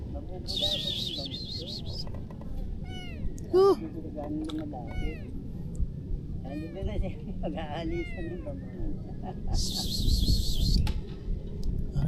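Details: Stray kitten, hungry and being offered freshly caught fish, mews repeatedly in quick rising-falling cries while a person coaxes it; loud shrill buzzing bursts open and near the end of the clip.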